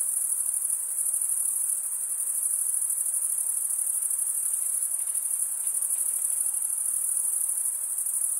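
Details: Crickets chirping in a steady, unbroken high-pitched trill that holds at one shrill pitch throughout, a dense chorus with no pauses and no other clear sounds.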